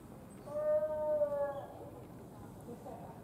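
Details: Gibbon quarrelling at Tama Zoological Park in Tokyo, Japan: a single loud, steady, hooting note with rich overtones, held for about a second, then fading into a low murmur of background noise.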